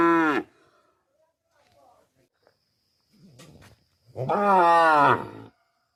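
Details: Cow in a village, two bellowing moos: a short loud one cut at the start, then a quiet low grunt, and a second long, rich moo sliding slightly down in pitch, with faint background clatter between.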